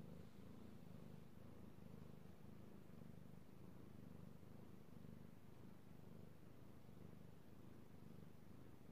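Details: Pet cat that loves being petted purrs steadily, recorded 3/16/18; deep, even vibrating rumble with breath-paced rises and falls, no other sounds.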